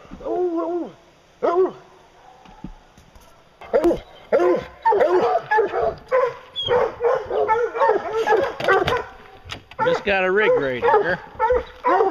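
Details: Bear-hunting hounds bay steadily: short, ringing barks and yelps repeated about twice a second, several dogs overlapping into a busy chorus, with a longer wavering howl near the end.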